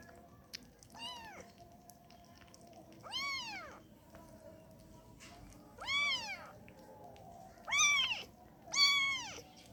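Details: Kitten asking to nurse: five clear, high, arching meows roughly every two seconds, growing louder toward the end over a low steady hum.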